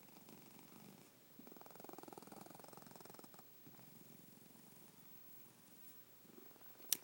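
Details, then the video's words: Domestic cat asleep indoors, snoring with a soft, rapidly throbbing rumble in long breath-length runs separated by brief pauses, ending with a sharp click. "My snoring cat"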